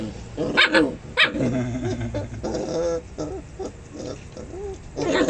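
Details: Dogs thought to be biting one another: a few sharp, broadband barks near the start and again at the end, with people talking and background chatter between them.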